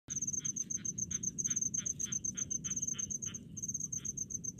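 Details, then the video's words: Crickets calling in rice fields: a high, thin chirping in quick pulsed bursts runs almost without pause, while a lower, rattling pulsed call repeats about twice a second over a soft low rumble. "SUARA JANGKRIK DI PESAWAHAN"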